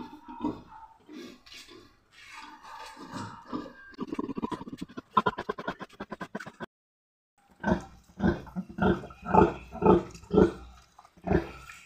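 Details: Domestic sow farrowing on a farm, with ten piglets born in all. Low, rhythmic grunts repeat about twice a second in the second half. Earlier there are rougher mixed noises and human voices.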